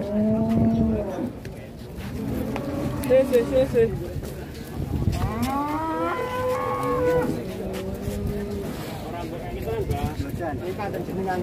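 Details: Raging cow bellowing loudly in repeated deep moos, some flat and held, others sweeping upward into a strained higher cry, with faint background voices.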